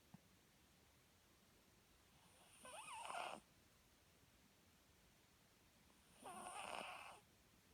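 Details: Sleeping Papillon giving two long, rasping snores, each about a second long and about three and a half seconds apart, with a thin whistling tone riding on the breath; otherwise a quiet indoor background.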